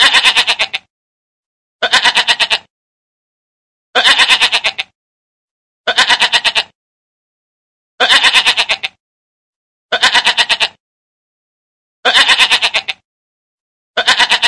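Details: Mother goat nursing her kid: loud, quavering bleats, each a rapid tremolo of pulses lasting under a second, repeated about every two seconds with clean silence between calls.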